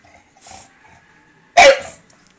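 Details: Hammy the bulldog, indoors with his ball stuck under a table that he cannot reach, gives one short, sharp bark near the end, after faint sounds and a woman's voice earlier.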